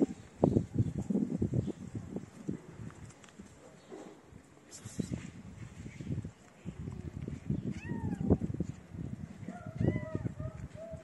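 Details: Feral kittens gathering around a person feeding street cats, leaving their black-nosed mother: a few thin, arching meows near the end, rising then falling, over steady rustling, shuffling and low background rumble.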